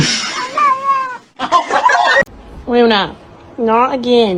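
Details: Domestic cat giving two clear, rising-then-falling meows about a second apart, after a stretch of people talking and exclaiming nearby indoors.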